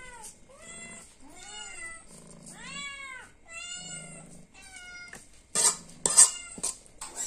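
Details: Cat hungry for food meows over and over, each call a bending, wavering cry, some short and some drawn out, followed by sharp knocking and clattering at the end.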